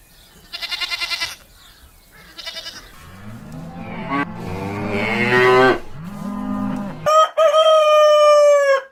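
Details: Donkey braying: a few short pulsed bursts at first, then harsh, rasping calls that alternate between low grating notes and higher rising ones for several seconds. A long, steady, tonal call ends the sequence.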